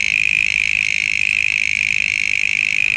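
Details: Mole crickets, often heard in wooded areas, making sound with a noise-making device at the back of the body, played back: an unbroken high buzzing trill of very rapid even pulses, steady in pitch throughout.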